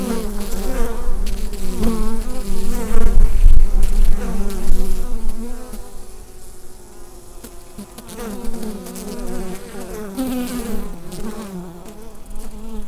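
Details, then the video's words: Colony of bees humming inside a hive, taken with a Rode NT-USB microphone. Thick, low, unbroken buzz, louder and rumbling in the first seconds, then softer and wavering, with occasional light taps. "Bee Hive Sound Effect"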